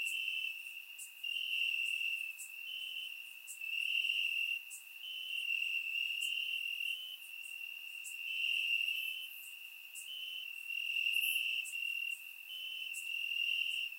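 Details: Warm summer night in Bulgaria with crickets singing in the grass, surround-recorded; continuous high-pitched trilling swells and fades in phrases of one to two seconds, with scattered sharp ticks overhead.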